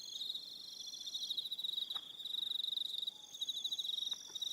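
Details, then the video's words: Crickets at evening on Aroha Island in New Zealand: high, rapidly pulsed trilling from several insects overlapping, steady and unbroken, with a faint click or knock near the middle. "1 Hour Relaxing Evening Sound of Crickets"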